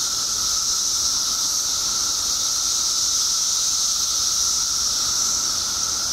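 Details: Countless periodical cicadas freshly emerged after 17 years in Illinois produce an even, piercing high drone with an unwavering lower whine, no other sounds standing out.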